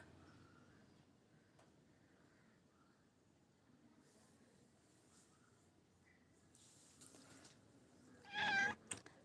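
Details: A domestic cat coaxes and sweet-talks its owner, asking for fish. After several quiet seconds of faint room noise and soft voices, one short, bright meow rings out near the end, followed by light clatter.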